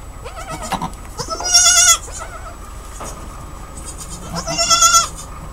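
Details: Goat just after giving birth, giving two loud, quavering, harmonic-rich bleats with a shaky vibrato, separated by about three seconds, preceded by several shorter, softer calls, over a low steady rumble.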